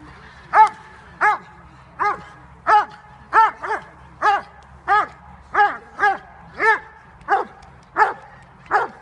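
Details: Bite work session with Jovanotti Unreachables, a Dobermann of almost five years, October 2015: repeated forceful deep barks, about one and a half per second, fairly even, sometimes doubled, over a quiet background.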